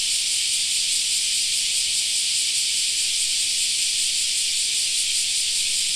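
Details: In a park in summer, cicadas keep up a relentless high-pitched sizzling drone, evenly banded and perfectly steady across the whole stretch, nothing else standing out.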